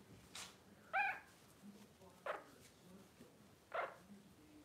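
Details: Twelve-day-old blenheim Cavalier King Charles Spaniel puppies, a litter of five born on New Year's 2023, give short high squeaks and squeals at irregular intervals, with soft low background murmur.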